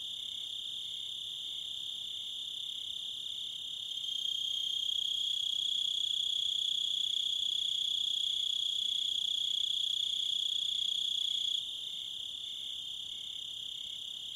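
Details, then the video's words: Crickets giving a continuous high trilling drone with fast regular pulses, louder through the middle section, then easing back to a quieter steady chorus. "Crickets And Wolves - Nature Sounds"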